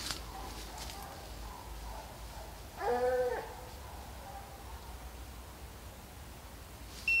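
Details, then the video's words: Hounds chasing deer on a hunt at St Helena, South Carolina: one clear, drawn-out bay about half a second long stands out over faint distant baying and quiet background noise, with a short electronic beep at the end. "St Helena South Carolina Deer Hunt.. "HomeGrown Kennels" Kickin'Screaming MY LAWD.. Listen at JULIO"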